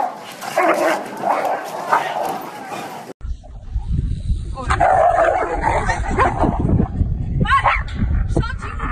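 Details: Siberian husky; howl; arguing back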